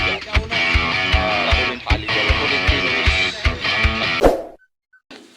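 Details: Plucked guitar music with a steady beat and a brief voice, ending in near silence; no animal sound is heard.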